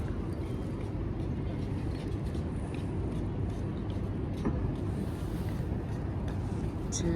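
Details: Low, continuous road traffic rumble with faint speech outdoors, and no animal sound standing out.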